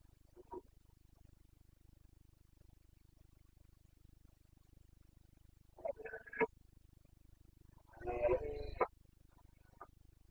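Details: Wild Carpathian red deer stag in the Bucovina mountains of Romania, rutting (boncănit) in the breeding season, 29 September 2022; a brief grunt, then a short harsh harmonic roar, heard over a steady low hum.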